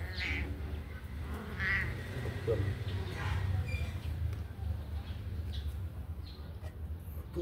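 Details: Kittens let out of their cage to run and play give a few short, rising mews spaced about a second and a half apart over a steady low hum.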